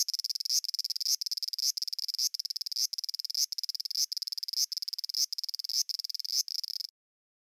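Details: A cicada from Japan repeats a short buzzy phrase, each one ending in a brief rising flick, about twelve phrases at roughly half-second intervals, then stops abruptly into silence.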